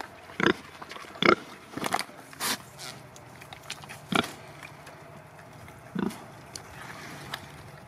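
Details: Domestic pigs, Sattelschwein or Bentheimer Landschwein breeds, grunting irregularly with sharp, snorting bursts, several clustered in the first three seconds and more spaced later, against low continuous farm noise.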